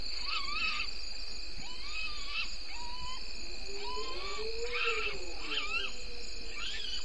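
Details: Night calls of a bushbaby in darkness at 03:33, 02/09/19, Gowrie dam waterhole, Djuma Game Reserve, Sabi Sand Wildtuin, South Africa: a steady series of short nasal chirps repeated roughly every second, plus a faint swelling low tone, over constant insect-like hiss.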